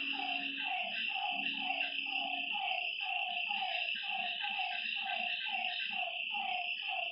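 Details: Nighttime lakeside frog chorus with rapid, rhythmic croaks pulsing about twice per second, layered over a constant high-pitched insect trill; a brief low steady hum sounds near the start.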